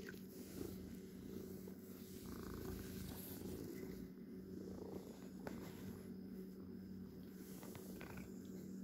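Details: A pet cat purrs steadily: a deep, throbbing, continuous rumble of rapid low pulses that holds throughout, with occasional small ticks and a faint hum behind.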